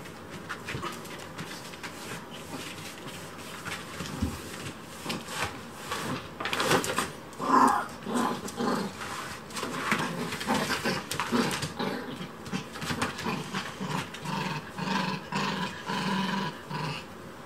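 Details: A Chihuahua interfering with house cleaning gives short, high yaps and whiny sounds over household clatter in a small room.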